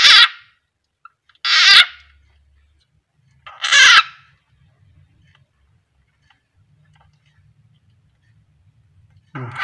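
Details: Frog seized by a kept keeled rat snake (Ptyas carinata) at feeding, giving three piercing harsh screams in the first four seconds, then quiet with faint low rumbling before another scream starts at the end.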